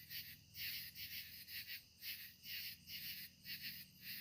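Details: Katydids sing at sunset in the evening, a raspy, high-pitched buzz repeated in rhythmic bursts.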